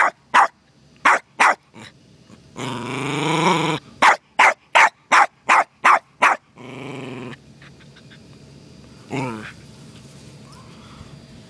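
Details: A terrier, Costello, confronts a turtle visitor in the yard with quick barks, a long harsh growl lasting about a second, another run of six barks, then a second growl and a final bark.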